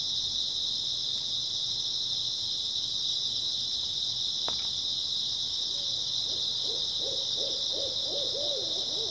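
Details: Grass insects on an early autumn night, a steady dense high-pitched chirring chorus that never breaks, while a low quavering trill of wavy notes rises out of the background during the final three seconds.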